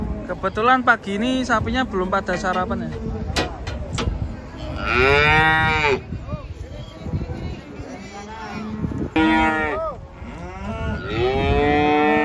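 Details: Cattle unloading from a truck, several animals mooing in overlapping bursts, some long harmonic lowing calls and shorter rough moos, with a loud sustained bellow near the middle and another toward the end, background clatter and faint voices.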